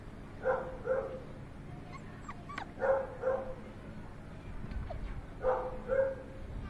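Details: Chocolate English Labrador male pup with a heavy muzzle, giving soft paired barks or yips three times, about every two and a half seconds, in a quiet room.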